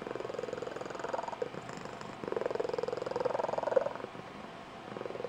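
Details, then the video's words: Indoor female Tonkinese cat, Blue Point, producing her special squeaky, high-pitched trilling purr; rapid pulsed purring in waves, swelling louder near the middle and fading toward the end. "Tonkinese Cat Has a Super-Special Purr"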